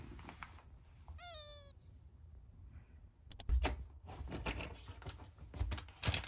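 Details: Seven-year-old pet beagle indoors on his birthday, sulking and in a bad mood after treats and after having his clothes taken off. He gives one short whine of about half a second, rising then slightly falling, among tapping, rustling and clattering noises.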